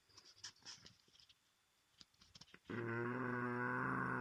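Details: French Bulldog (Canis lupus familiaris), snoring.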